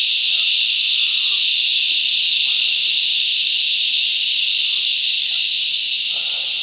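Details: Loud chorus of cicadas in the bush, an unbroken high-pitched hiss holding even volume throughout, with faint, scattered lower chirps of other callers beneath.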